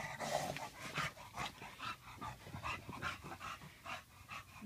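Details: After his bath, Tank the bulldog keeps up steady, rapid panting, roughly two to three rasping breaths per second, slightly uneven in rhythm.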